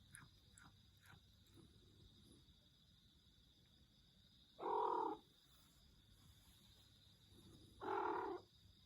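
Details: House cat making its strange call: two short, even-pitched nasal meows about three seconds apart, each under half a second, after a few soft rustles, with a constant high hum in the room.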